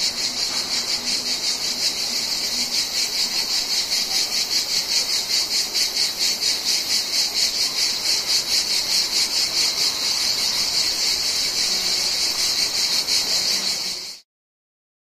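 Cicadas fill the air with a loud, high, buzzing drone that pulses steadily.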